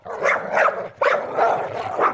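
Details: Dog giving two loud, rough barks about a second apart, each breaking into a couple of shorter yelping pulses.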